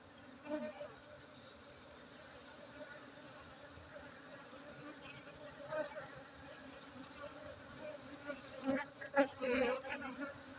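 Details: Honey bee colony at a Gayo apiary in Aceh, Indonesia, humming continuously; low droning buzz with occasional louder fly-bys near the end and light handling knocks in the background.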